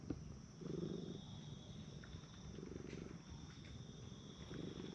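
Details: Soft low purr from park stray cats, a brown tabby and a tortoiseshell, being stroked in turn on a bench; rhythmic breathing-paced rumbles, quieter and partly masked by outdoor background hiss.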